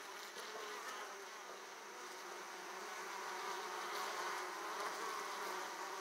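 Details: Italian honey bees crowd the hive entrance as they return with pollen; a steady swarm buzz that grows slightly louder in the second half, with a few light higher whines.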